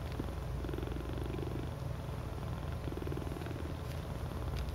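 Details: Several cats huddled together in a cuddle puddle give a deep, even purr, a soft rapid rumble holding at one level throughout.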